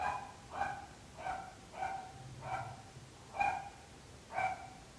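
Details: Neighbourhood dog barking persistently, a nuisance to nearby residents: seven sharp, evenly toned barks in quick succession, roughly every half to one second, against faint low-pitched background noise.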